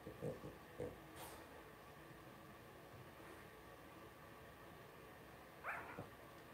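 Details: Blenheim Cavalier King Charles Spaniel puppies, about two weeks old, from a litter of five in a home puppy pen; two short low yips early on, then a brief high squeak near the end over quiet shuffling.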